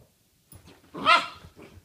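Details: A Poodle barking during play: a single short, sharp bark near the middle of the clip, with faint soft rustling sounds before and after.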